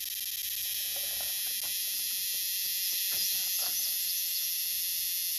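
A cicada's loud, continuous high-pitched buzz, steady and unbroken throughout.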